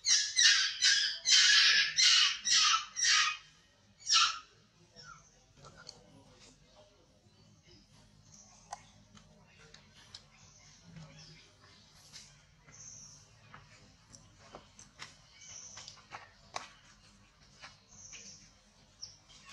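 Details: A very small baby monkey gives a quick run of loud, harsh, high-pitched screeching cries, about seven bursts packed into four seconds, then drops to faint scattered squeaks and soft clicks over a quiet background.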